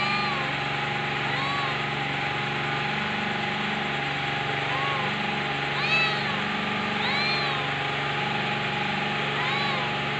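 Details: Short, bent kitten mews recurring every second or two, some higher and some lower, set against a continuous engine-like hum.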